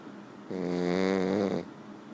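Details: A French Bulldog snoring: one drawn-out, buzzy, fluttering snore of about a second, steady in pitch, against quiet room background.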